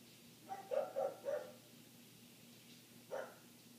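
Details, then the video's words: A neighbour's dog barking continuously, heard from indoors through closed windows: three quick barks in a row, then a pause and one more bark, over a steady low hum. "Dog Barking"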